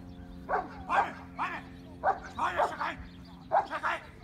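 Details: A 10-month-old working Cane Corso barks in defence during protection training. It gives short, deep, hoarse barks in uneven bursts, about six in four seconds, over a steady low hum.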